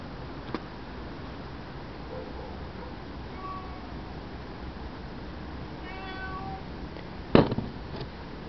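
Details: Cape genet (Genetta tigris) giving a single short, cat-like mewing call with a rich stack of overtones near the six-second mark. A fainter mew comes earlier, and a sharp knock follows over steady background hiss.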